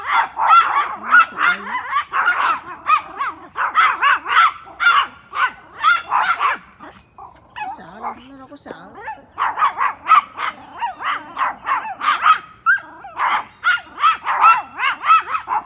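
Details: Three Pomeranians in a back yard barking at a big deer: rapid, sharp, high yapping barks in dense bursts, several dogs overlapping, with a brief pause midway and a low voice murmuring briefly.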